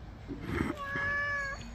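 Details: House cat during a bath gives one clear, steady, sustained meow lasting almost a second, preceded by a woman's Bengali chatter encouraging it to take something.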